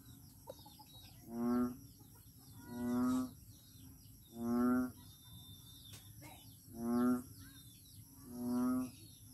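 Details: Frog calling at Daanbantayan, Cebu: five deep, nasal, moaning notes with a buzzy harmonic tone, each about half a second long, repeated roughly every two seconds over a steady high insect chirping.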